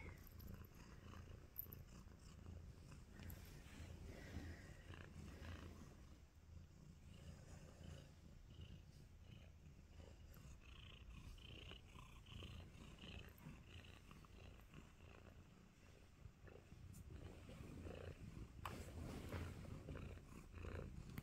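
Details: Happy tabby kitten named Nacho, too content to move, keeps up a quiet, continuous low purr with intermittent rustling and faint handling sounds over about twenty seconds.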